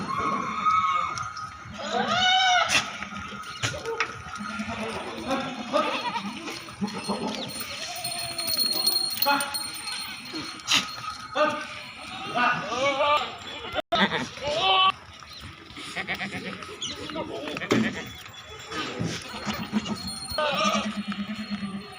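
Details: Goats bleating on a farm in Narayanpur, Assam: scattered quavering bleats, one loud rising call early on, mixed with steady human conversation and farmyard clatter.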